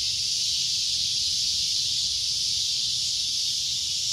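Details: Cicada droning loudly: a shrill, unbroken buzzing wall of sound held at steady volume throughout, with no pauses or other callers audible.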